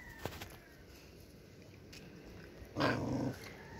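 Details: Stray dog on the street, fed bread, gives one short harsh growl-like burst near the end, after faint scattered clicks in a quiet background.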